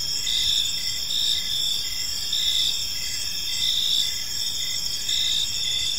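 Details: Gentle chirping of crickets in a serene park at evening, steady shrill high buzzing with rhythmic short chirp bursts repeated steadily, multiple callers forming a chorus over low ambient hiss.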